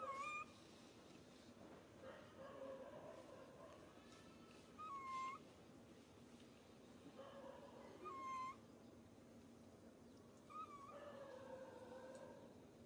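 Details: Pitiful crying from baby monkey SUCA, hurt after being grabbed by SUSAN: softer, spaced-out wails every few seconds, each a short upward-bending tone over a steady background murmur.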